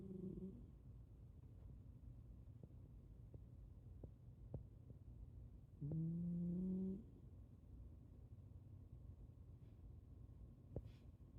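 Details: A Shiba Inu snores as it sleeps, giving one clear, rising, whiny snore lasting about a second. Before and after it there are only soft breaths and a few faint clicks against a low hum.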